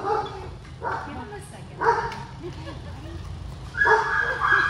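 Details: Cane Corso dog at a reunion with its owner, giving high, wavering whimpers and short yips in separate bursts, with people talking over it.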